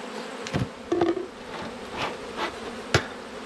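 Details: Honey bees at an open beehive during an autumn inspection, one of twelve hives kept by a beekeeper: a steady, low droning hum of the colony, broken by sharp clicks and knocks from handling the hive.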